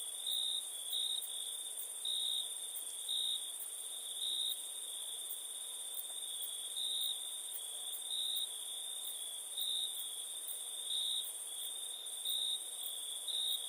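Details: Crickets calling at night in India: steady high-pitched ringing trill with soft swells roughly every second, plus a higher continuous hiss of other insects and a background wash of noise.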